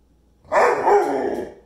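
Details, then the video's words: A pit bull vocalizing at home, urging its younger puppy brother to play: one loud, rough, drawn-out howling yelp lasting about a second, fading at the end. A woman talks and laughs around it. "Talking Pitty Asks Puppy Brother To Play"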